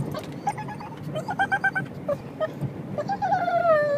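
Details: Pug in a car making dolphin-like noises: short squeaky yips in quick succession, then a long, drawn-out whine that rises and slowly falls, with road rumble underneath.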